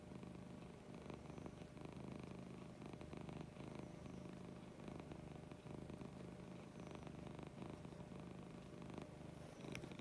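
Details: Morning purring from Lucy, a pet cat: a continuous low, throbbing rumble with rhythmic swells as she breathes in and out, steady throughout against a light background hiss.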